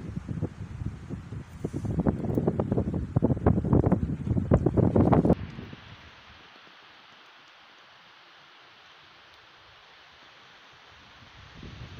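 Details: Wind buffets the microphone and leaves rustle for about five seconds, then a steady quieter outdoor rush remains.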